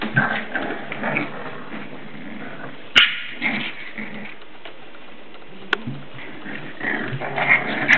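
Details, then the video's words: English Bulldog puppies, seven weeks old, playing indoors; scattered short yips and whimpering squeals with soft scuffling between them and a couple of sharp clicks. "English Bulldog puppies playing inside"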